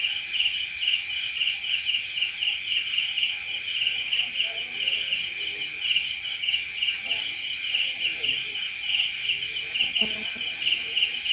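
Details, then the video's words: Night-time crickets chirping together in a continuous high, pulsing chorus. A sharper, shrill trill runs above it with little flickering accents, and faint low rustles are heard toward the end. "Night Cricket Sound Effect"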